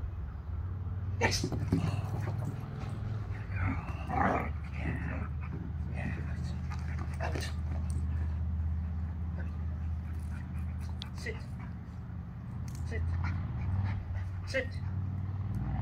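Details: A Rottweiler puppy named Lily, working on obedience for food and a toy, gives soft whimpering noises and faint breathy sounds over a steady low hum, with scattered clicks and brief speech.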